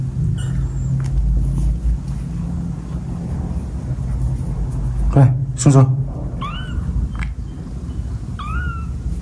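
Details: Kittens playing with a rope give several short, high meows, some rising and then falling, spaced a few seconds apart over a steady low hum, with a couple of brief clattering bursts midway.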